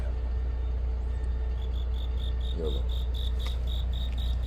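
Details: Autumn-night cricket chirps begin partway through as a string of faint, high, evenly spaced pulses, under a heavy low rumble of an engine with a short burst of human voice.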